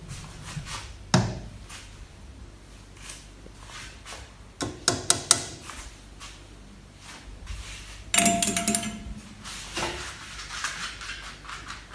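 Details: Indoor knocks, thumps and a metallic ping in a small room, with no animal voice.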